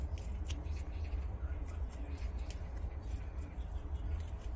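A prairie dog munches grass with crisp, irregular snipping and crunching clicks over a low background rumble.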